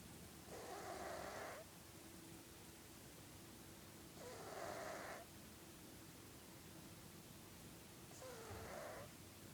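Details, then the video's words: Three loud, hissing snores from Felix, a sleeping house cat, spaced about four seconds apart, each with a thin whistling note in the middle; a low steady drone continues between breaths. "Snoring Cat"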